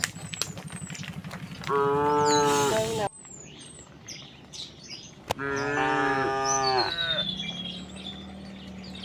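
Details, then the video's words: Cows and oxen moving leisurely along a rural road to their resting place; two sustained harmonic moos, the first cut off abruptly, with scattered clicks and a thin high whistle. "Thousands of cows walked very leisurely towards the resting place the sound of cow all along the way"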